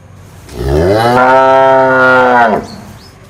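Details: A single cow gives a sustained, full-throated moo lasting roughly two seconds, swelling in quickly, staying even and strongly harmonic, then cutting off abruptly, followed by faint high squeaks.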